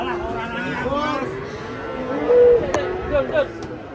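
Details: Agitated cattle being unloaded from a truck in Indonesia, giving a drawn-out, wavering moo with strong harmonics that overlaps steadily with people talking nearby.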